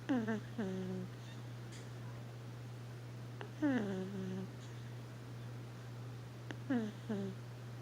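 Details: Roxy, a puppy pug, asleep in a lap indoors, snores in whiny, squeaky harmonic bursts that drop in pitch and trail into a flat buzz, three breaths about three seconds apart, over a steady low electrical hum.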